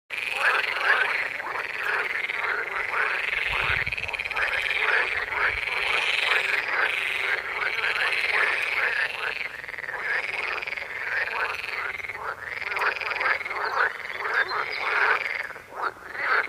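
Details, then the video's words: A dense chorus of frogs among yellow lilies croaking, with many overlapping voices calling without pause. "Croaking frogs in yellow lilies"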